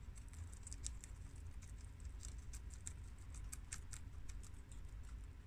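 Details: Four domestic guinea pigs (two American boars, a long haired mini yak and an Abyssinian sow) munching fresh garden romaine lettuce; crisp, quick ticking bites in irregular bursts, several per second, over faint low room noise.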